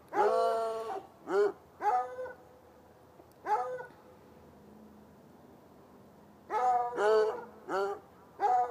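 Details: Chained hounds by an irrigation ditch bark on a Saturday night from about 10 yards away; quick runs of harmonic barks open and close the passage, with a quiet stretch in between.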